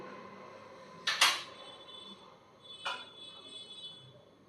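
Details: Two short bright clinks, like dishes or metal knocking, ring out in a quiet room, with a faint low hum between them and no animal voice.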